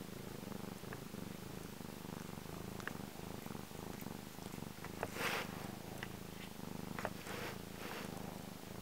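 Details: Purring of Django, a black pet cat, content and enjoying himself: a continuous low vibrating rumble with even pulsing rhythm, some faint rustling and a short brushing noise midway.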